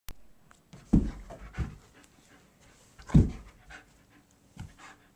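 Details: Sadie, a pet German Shepherd taking commands, pants in a few loud, breathy bursts spaced irregularly about a second or more apart, with quieter rustling between them.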